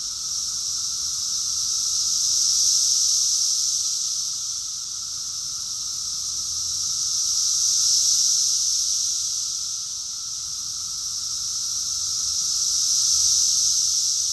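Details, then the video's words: June 2021 chorus of cicadas in Rockville, Maryland, USA: a steady, sizzling high drone pulsing louder and softer roughly every five seconds, with a weaker lower tone running underneath. "Cicadas song || Cicada's chorus song"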